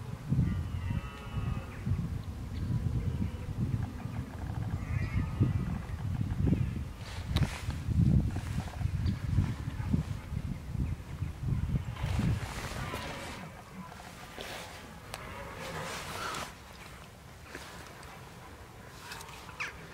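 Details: Red deer filmed in October 2014, bellowing while preparing for the rut: deep, rumbling low-pitched roars with faint harmonic bands, heaviest in the first half, followed by scattered sharper broadband sounds and quieter background later.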